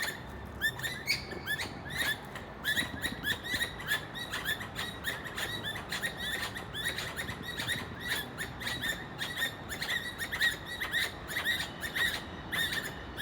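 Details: Squirrel mistaken for a bird, producing dense runs of bright, clipped chirps, sometimes doubled, spaced irregularly against a continuous low background hiss.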